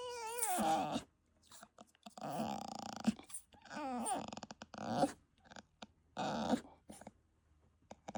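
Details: A bulldog puppy making noises: short bursts of wavering, harmonic grumbles and whiny moans, some rising and falling in pitch, separated by brief silences.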